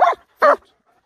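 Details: A German Shepherd, being stubborn during a training and play session with its owner, gives two sharp, mid-pitched barks about half a second apart.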